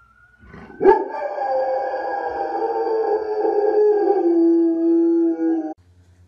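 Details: A dog's howl starts with a sharp yelp. It swells into a long, even, harmonic wail lasting about five seconds, then stops abruptly. Near-silence follows.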